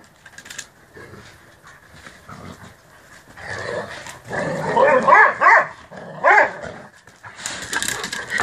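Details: Rhodesian Ridgeback at play on a lazy afternoon: a quiet stretch with soft rustling, then loud bursts of harmonic, rising-and-falling barking and growling in mid-clip, a short pause, and another loud burst near the end.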